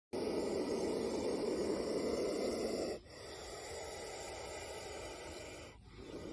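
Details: Angry Indian spectacled cobra hisses with a strong, breathy rush of air lasting about three seconds. A softer, steady hiss follows with a brief break near the end.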